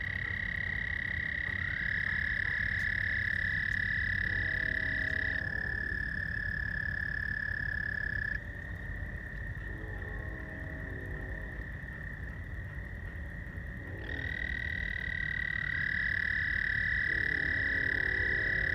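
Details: Frogs at night by George Lake, Whiting, Indiana, recorded 15 May 2020. Long, even trills start, stop and restart in overlapping waves, some at a slightly higher pitch. Lower rapid buzzy pulses recur between them.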